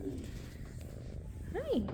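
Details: A shelter tabby kitten, one of a troupe of tabby sisters about eight weeks old or more, purrs loudly with a steady low rumble while a person talks softly nearby.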